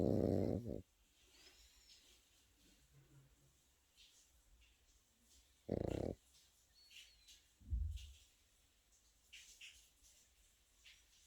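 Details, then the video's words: Pekingese puppy asleep, a rough snore at the start and another about six seconds later, followed by a softer low grunting breath, quiet room noise in between. "패키니즈 코고는 영상"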